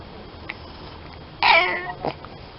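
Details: Domestic cat in a funny cat compilation giving a single loud meow, a bright harmonic call rising then falling over about half a second, followed by a short softer sound, against quiet room hiss.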